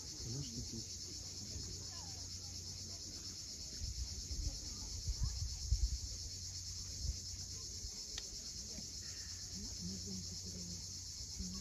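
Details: On the cliffs of Cape Fiolent, Crimea, cicadas keep up an even high-pitched whirring drone at sunset, while surf swells and crashes underneath and short bird chirps come and go.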